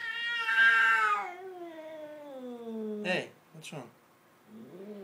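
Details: Pet cat described as having gone crazy: a loud, rich yowl that starts high and strong, then slowly sinks and fades over three seconds, followed by a person's short spoken words and a softer rising moan at the end.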